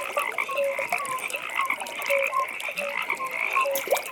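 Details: Evening frog pond, full of overlapping callers: short, bright tonal croaks at two or three pitch levels, some gently rising, over a steady high pulsing trill.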